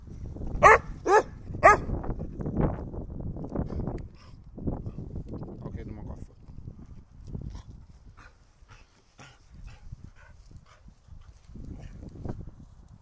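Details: Holger, a dog keen to get the stick, fires off three quick sharp barks about half a second apart, then a person talks steadily over faint background shuffling.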